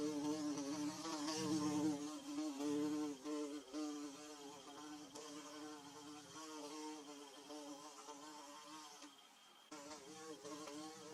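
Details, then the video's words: Bees busy making their nest in Mizo country give a rich, low buzz layered with overtones; loud at first, the hum fades and returns in uneven surges, with a brief near-drop toward the end. "Bee Buzzing"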